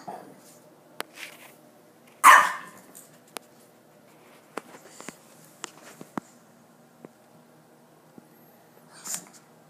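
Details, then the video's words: Ginger the dog gives one sharp, loud bark early on, then falls quiet; faint clicks and taps sound through the rest of the recording. "Ginger barking at?"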